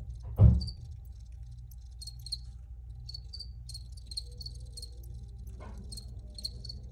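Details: Crickets chirping in scattered short high bursts after a loud low thump at the start, with a steady low hum and a faint ringing tone behind.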